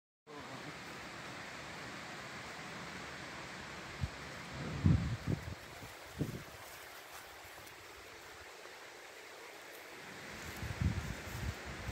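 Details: Steady outdoor hiss and low rumble, broken by a few dull thumps around the fourth to sixth seconds and near the end, with no clear animal call.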